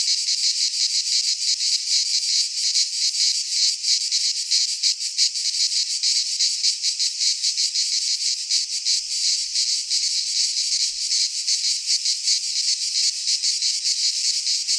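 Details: A midsummer chorus of cicadas in a pine forest in Greece. Their shrill, continuous, hissing buzz stays high and unbroken, with a rapid fluttering pulse running through it for the whole stretch.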